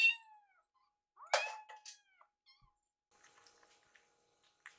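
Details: Foster kittens Yuki and Piyo, rescued kittens waiting for food, make a loud meow followed by a few shorter mews amid clicks and rustling, with a faint steady hum in the room.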